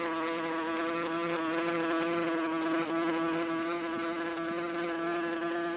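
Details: Wasp buzzing in flight: an unbroken, even drone rich in overtones, with a faint lower hum beneath it and a tiny dip partway through.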